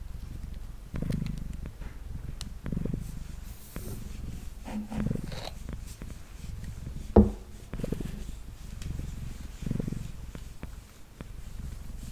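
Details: Mango, a male cat, purring softly during brushing on a table; faint low rumbling swells about every one to two seconds, with scattered clicks, one sharp knock and gentle brushing.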